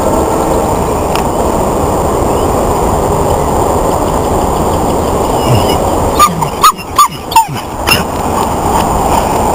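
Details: An English Foxhound on a walk, having spotted a cat, gives a quick run of five sharp, loud barks over steady rumbling background noise.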